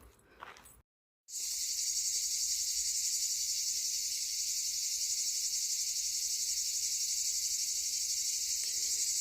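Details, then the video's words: Cicadas sing on a hot day, with a yellow heat alert and a red fire-risk alert in force. After a brief silence, a dense, steady, high-pitched shimmering chorus starts and runs without a break to the end. "Bonjour. Je vous laisse écouter les cigales."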